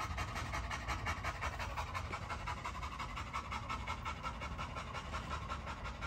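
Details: Rapid rhythmic panting from a Great Dane, short airy huffs repeating almost three times a second without pause, loud and close, over a low background rumble.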